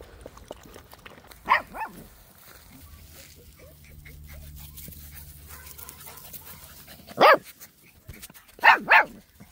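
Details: Six-week-old Labrador retriever puppies playing together outside; a few short, sharp yapping barks, a pair near the start and more after a quiet stretch near the end, over soft low background rumble.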